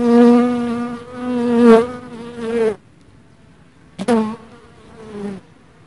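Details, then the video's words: Dark honey bee in flight, a rich droning buzz that swells and wavers for nearly three seconds, stops, then comes back in a brief louder burst before trailing away. "Kara bal arısı ve Arı sesi"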